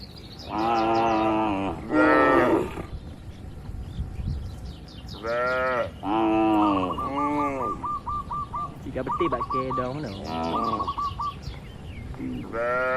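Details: Many cows in a large farm barn moo repeatedly in long harmonic calls, several overlapping, while small birds chirp in quick repeated notes between the moos.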